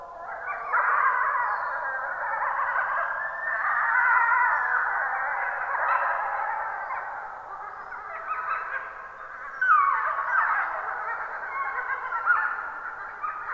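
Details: Gray wolves caught on a camera trap at 23:21 on 26 April 2022, a pack howling together, many wavering voices overlapping in a sustained, rising and falling chorus.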